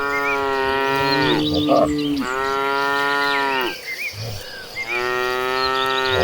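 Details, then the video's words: Cattle, dozens of tame animals on their way to a green pasture, give three long, steady, resonant moos, each about a second and a half, separated by brief pauses with soft background chirping. "Dozens of tame cattle walking toward a green pasture, the sounds of tame cattle."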